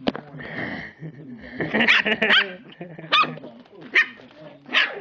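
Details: Lhasa Apso puppies, four weeks old, giving short high yappy barks and yelps at irregular intervals, several sharp bursts mixed with people talking in the background.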